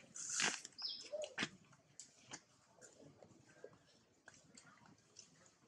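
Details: Baby monkey screaming and crying after its mother was bitten by a female monkey: a shrill, piercing screech in the first half-second, then fainter squeals and scattered clicks against a quiet background.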